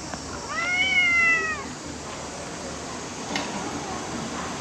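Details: One of several mischievous cats playing together around a waiting room gives a clear, drawn-out meow lasting about a second, arching slightly in pitch with strong harmonics, then fades into a constant background hiss with a faint click.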